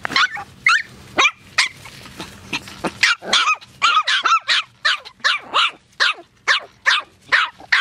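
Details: AKC Poodles barking in quick, clipped, bright yaps, roughly two per second, settling into an even, insistent rhythm in the second half after a more ragged start.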